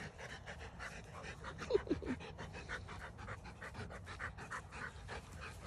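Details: Rottweilers playing with bowling balls: one pants rhythmically and gives a few brief, falling whiny grumbles as they get close to each other.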